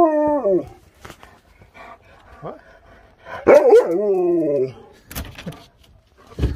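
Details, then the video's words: Siberian Husky eager to go outside and play, giving a sliding howl that falls from high to low, then a second wavering rise-and-fall howl after a pause, with scattered clicks and knocks between. "Husky's can't wait to get outside and Play!"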